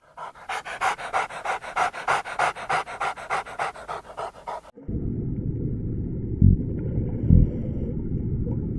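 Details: Domestic dog panting: a quick, breathy, rhythmic in-and-out huffing repeated about once a second for almost five seconds. It then cuts to a low rumbling background with two short thumps.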